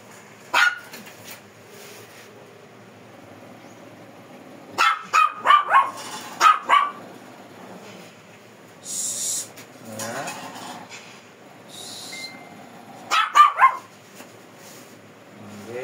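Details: Shih Tzu described as fierce, being groomed in Pangasinan, giving short clusters of sharp barks, two to four in a burst, separated by quiet stretches of several seconds, with soft handling noises and a brief hiss between.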